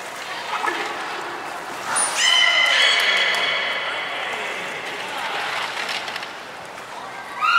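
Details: Belugas Nana and Niko training at Port of Nagoya Public Aquarium, Japan, on 7 October 2018: a piercing high whistle, then a long bright harmonic, reedy call that slowly fades, with a fresh rising tone at the end amid crowd noise.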